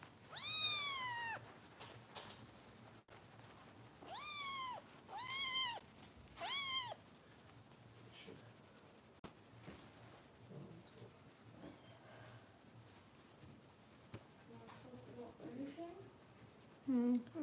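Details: Foster kitten Harper, a rescue kitten in Los Angeles being bottle-fed indoors, gives a run of high, rising-then-falling meows, three or four loud cries in the first seven seconds, then quieter rustling and a faint squeak.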